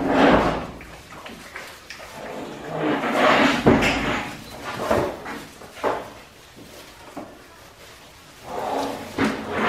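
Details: Australian Shepherd puppies, five weeks old, at a farm kennel in Oklahoma, giving short, bright yelps and whines in bursts around the start, middle and end, with indoor knocks and thumps between.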